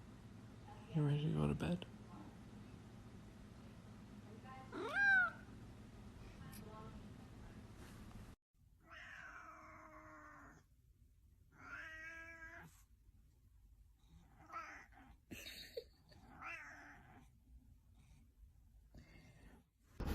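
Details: Domestic cat in a funny cat compilation, giving soft, scattered meows: a rising and falling cry near five seconds, then a run of short, harmonic calls in a quiet indoor space, with faint background hum.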